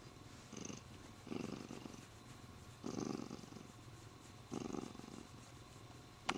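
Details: Pet Siamese cat, happy while stroked and clinging to the owner's arm, purring in soft rasping pulses that rise and fall with each breath, about every one and a half seconds, ending with a sharp tap.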